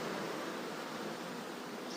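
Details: Honey bees from a moved swarm drone as a thick, even hum while being covered with a cloth, the buzz holding steady for the whole moment.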